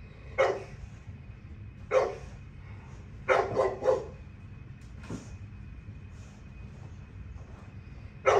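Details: Dogs, the kennel's girls, playing together: short sharp barks at about 0.4, 1.9, 3.3 to 3.9 and 8.3 seconds, some in quick pairs, over a steady low rumble and faint hum.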